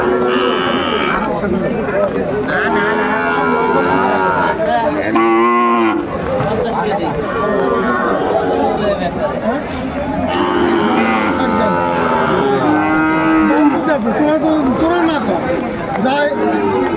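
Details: Sahiwal bull calves traded at a cattle market in Madaripur, Bangladesh, in storm and rain on 3 September 2024. Several cattle moo in bursts, some wavering and others long and level, among constant chatter and haggling.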